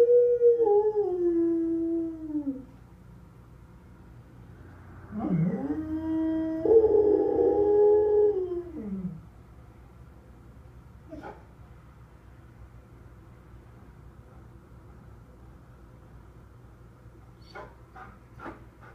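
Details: Duke, a pet dog, howls after being left behind: a tonal, harmonic-rich wail sliding downward for two seconds, then, after a pause, a longer howl that rises, holds steady and falls away. Later come quiet gaps with faint clicks and taps.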